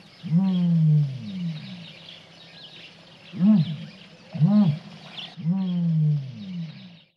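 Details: Captive tigers, described as fat, give deep, harmonic, moaning roars: a long drawn call, two short arched ones, then another long call over about seven seconds, with faint background hiss.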